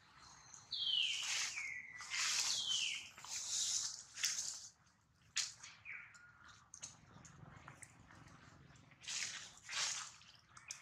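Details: Crying of a hurt baby monkey, Duke, whose mother Duchess worries over him: loud, shrill descending squeals early on, then scattered sharp bursts and shorter whines amid rustling and clattering noise.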